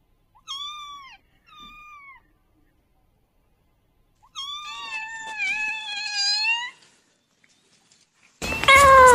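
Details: Kittens meowing: two short high meows, then a longer wavering meow run of rising and falling notes, quiet gaps between, ending in a sudden loud burst of noise.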